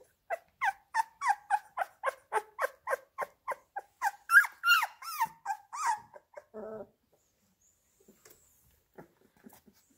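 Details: Labrador Retriever puppies around a meal of minced beef, indoors: quick series of sharp whining yelps about three a second, growing louder and more strained midway, then a short lower grunting call and near silence.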